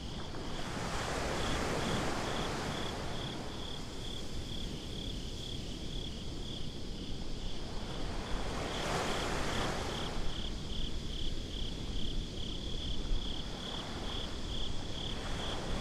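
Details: Binaural night recording on a beach: waves surge and break loudly, rising in two big swells, while crickets keep up a thin, high, pulsing chirp throughout beneath the surf.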